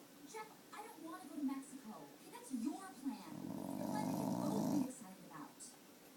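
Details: A dog named Tater, wanting a popsicle stick, gives a drawn-out, low, droning moan lasting more than a second after a few shorter grumbling sounds, indoors in a small room.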